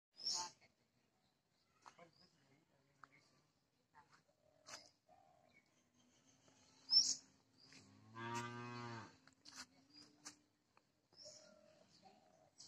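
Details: One of two angry young cows gives a single short, hoarse moo lasting about a second, amid scattered clicks, taps and brief high squeaks in an otherwise quiet outdoor scene.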